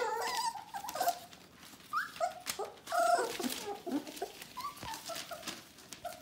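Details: Bohemian Shepherd puppies almost four weeks old, a whole litter together, give scattered high whines and squeaks from several pups at once, uneven and overlapping, with rustling and thumps throughout.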